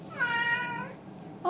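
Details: Indoors, a male blue Oriental Shorthair cat talks to its sitter with one drawn-out, slightly falling harmonic meow lasting under a second, followed by quiet room tone and the start of another sound.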